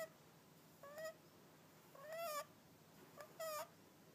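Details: Hakka, a cat, snoring again: three nasal whistling snores, the middle one longest, each a wavering tone with a breathy rasp, in a quiet room.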